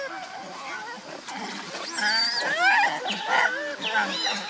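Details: Hungry baby monkey Leo cries to its mother for milk with loud, high arching wails and wavering squeals that rise and fall in quick succession, with other monkeys chattering in the background.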